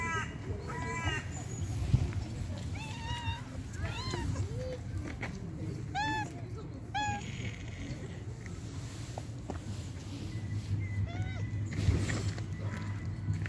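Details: Homeless street cats meowing while communicating with people: a run of short, bright, arched meows, several in quick succession near the start and middle, then a couple more near the end, over a steady low outdoor rumble.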